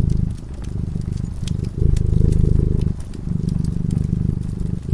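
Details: A cat dozing in front of the fire gives a steady low-pitched purr, its rumble growing and fading in regular breath-length waves, with light crackling of the fireplace throughout.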